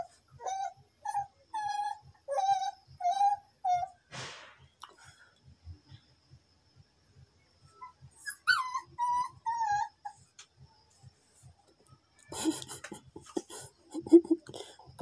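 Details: A pet dog, very angry at a mosquito and wanting to catch it, gives high, thin whining whimpers: about five in the first few seconds, more after a pause, then a burst of rough noisy sounds near the end, over a steady low ticking.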